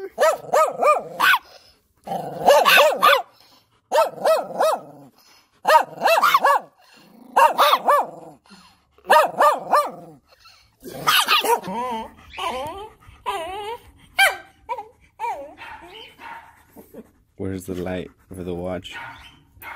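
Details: Excited German Shepherd barking at its puppies, steady rhythm of double and triple sharp barks about every two seconds, later breaking into whines, yelps and smaller higher-pitched yips.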